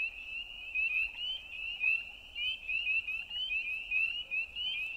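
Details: Night-time frog chorus of rapid, high-pitched rising notes packed into a continuous shimmering band, steady throughout.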